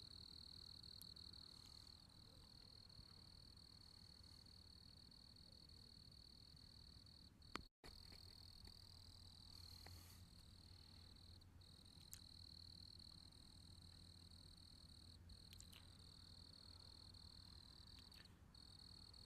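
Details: Cricket chorus: a sustained high, ringing trill that wavers slightly in pitch, briefly cut by a sharp click and short gap, with steady low hum underneath.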